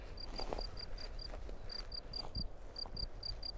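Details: Field cricket living in a ground burrow in the Drôme, recorded close with two stereo microphones as the recordist approaches slowly. Bright high chirps come in short rapid runs broken by pauses, over low rumbling background noise.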